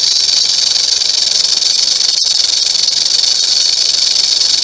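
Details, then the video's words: Continuous rattling of a rattlesnake, a rapid, sizzling high buzz at even loudness throughout, broken only by a single sharp click near the middle. "Rattlesnake rattling"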